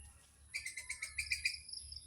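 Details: Squirrel calling in the Chapraishirhat area: a steady run of about eight sharp, high, clipped chirps in quick succession, then softer trailing chirps fading out.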